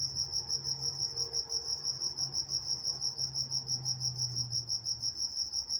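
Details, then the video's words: Walnut, California crickets at night give rapid, evenly spaced high chirps, about three pulses a second, over a low droning hum, possibly distant traffic, that swells and fades. "Nature Sounds Night Time Crickets in Walnut, California"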